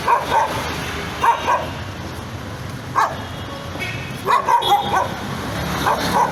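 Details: A nervous dog gives a few scattered sharp barks and yips, single or in pairs, about every second or two over steady background noise.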